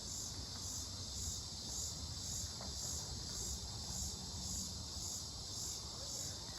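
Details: Insect in Mankato, Minnesota, on 18 July 2025, which the recordist thinks might be cicadas but is unsure, gives a high, steady trill with a faint pulsing shimmer above it, over a low background rumble.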